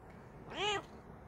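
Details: Talkative, friendly Bengal cat Coco, in the morning after a hot night, answers its owner's greeting with a single clear, tonal meow that rises then falls over about a third of a second, in a quiet room.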